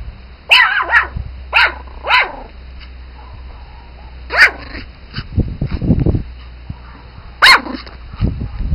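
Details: Pomeranian Spitz puppies yapping: sharp high barks in quick pairs near the start, then isolated yips around four and seven seconds, with low rustling and scuffling noises between them.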